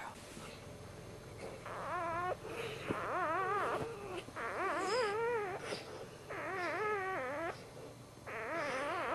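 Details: Just-born first puppy of a Dachshund litter, a male, whining repeatedly: about six wavering, warbling cries that often dip at the end, spaced a second or two apart over a steady background hiss.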